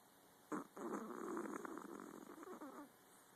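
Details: Miniature Pomeranian snoring: one long raspy, breathy rumble with a rough fluttering texture lasts about two and a half seconds after a brief quiet start, then fades out.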